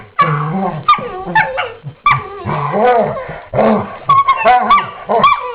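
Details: Pair of dogs at morning play with hushed voices, trading low growls, whines and squeaky yips almost without pause, some sounds rising and falling in pitch.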